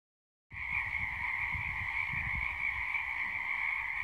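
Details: Frogs calling at sunset: after half a second of silence, a dense, unbroken chorus begins, a steady high shrill drone layered over a lower hum, with faint low rumbles underneath.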